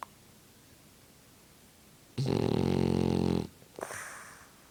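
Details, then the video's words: Sleeping French Bulldog indoors, blowing bubbles: after quiet breathing, a single strong vibrating snore of over a second, then a short breathy puff with a faint high whistle. "Funny French bulldog snores and blows bubbles"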